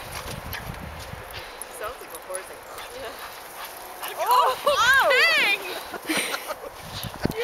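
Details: Bull Terrier and Basenji at play, Peng nibbling Tazz's ears to get him to run; after a quiet, rustling start, a burst of rising-and-falling whining yips about halfway through, then scuffling noises.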